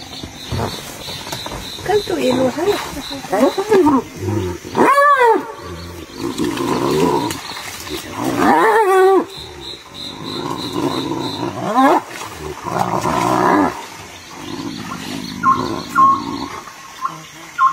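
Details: Hyenas fighting: a string of rising-and-falling harmonic yelps and whoops, one loud sweeping cry near the five-second mark, with rough growly bursts and a faint steady beeping tone in the background.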